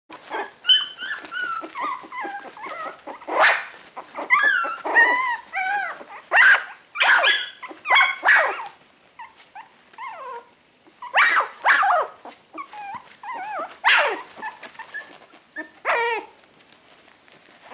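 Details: A litter of 20-day-old Coton de Tulear puppies in a breeder's kennel in France gives repeated high, wavering whines and squeaks, some rising and falling, in bursts roughly every second with brief quiet gaps.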